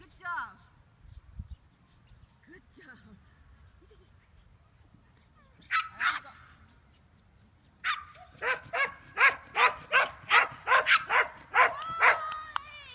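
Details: Papillon disc dog training with a frisbee on July 11 gives a few scattered barks, then a rapid run of about ten high, sharp yaps in steady rhythm, roughly two each second, over faint low background rumble.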